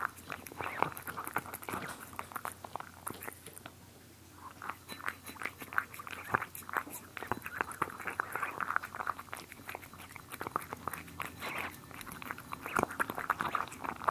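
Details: Cats eating indoors, recorded close for ASMR: continuous crunching and chewing with sharp clicks, a brief quieter pause near the fourth second, then more busy, irregular munching and smacking.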